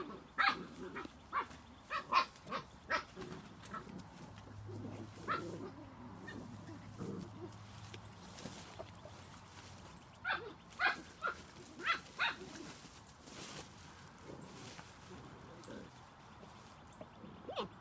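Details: Seven-week-old Spanish Water Dog puppies yipping and squeaking in short, high bursts, some in quick runs of three or four. Softer grunts sit underneath, with a low steady hum partway through.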